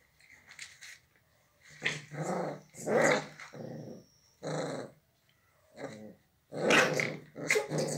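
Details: Pit bull dogs described as very fierce; a series of rough, harsh growling and barking bursts, each about half a second to a second long, separated by short pauses, with a person's voice briefly heard.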